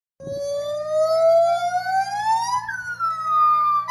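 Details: Siamang giving a long, smooth whooping note that glides steadily upward for over two seconds, then jumps to a higher tone that sags slightly, with a steady low hum underneath.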